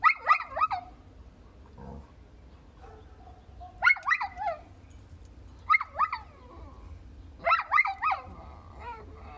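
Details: Chattering dog vocals as Alvie talks with a Chow Chow, 20 April 2018: clusters of two to four warbling, yodel-like yelps that swoop up and down, bursts about every two seconds, with faint background hum.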